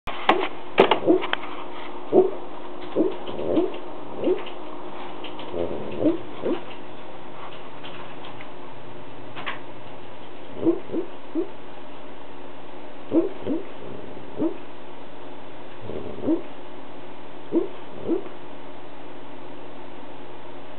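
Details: Sleeping dog making soft muffled barks and low growls in its sleep, short grunting puffs scattered irregularly, some in pairs, over a steady low hum.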